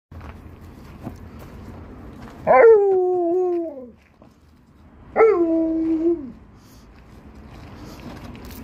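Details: Liza, an Alaskan Malamute, tells off an Australian Shepherd puppy named Monti for touching her basketball: two drawn-out, tonal woo calls about a second long, each rising sharply then sliding gently down, separated by a pause of a few seconds.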